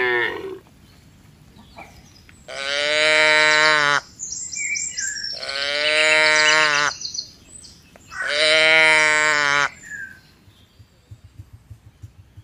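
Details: Tame herd of cattle and calves heading back to the farm pen during the rainy season: three long, bright, strongly harmonic bellows about two seconds apart, each swelling loud then cutting off, with faint birdsong behind.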